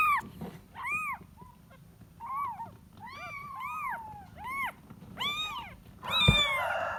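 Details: Kitten seeking its mother, giving about ten mews in quick succession. Some are arched and some waver or bend. A brief burst of rustling noise comes near the end.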